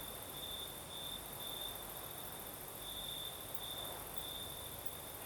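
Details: Night chorus of crickets in southern Crimea, breezy night air: high, ringing trills pulsing in uneven bursts above a constant wash of wind hiss and a thin, even higher insect whine.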